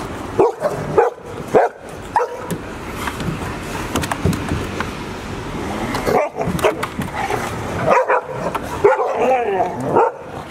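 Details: Golden Retriever mother and her nearly grown six-month-old litter, filmed at Ain village on 28 October 2018. Four abrupt barks start things off, then a noisy lull, before another volley of yips and barks closes out.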